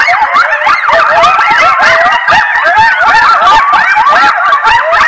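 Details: A loud chorus of coyotes howls and yips near a stream at about 10:37 p.m. CST, around 11-09-22, in Decorah, waking roosting bald eagles, with many overlapping, wavering, rising and falling cries.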